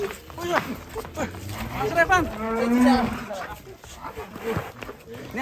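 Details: Huge fattened show cow, nicknamed a monster cow, gives one drawn-out, harmonic moo in the middle of the clip, with men talking loudly before and after it.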